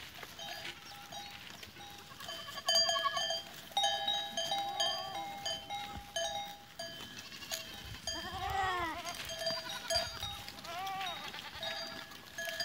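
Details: Goats recorded on 13 April 2023: a couple of wavering, quavering bleats come midway and later among steady, constant clanking of many cowbells.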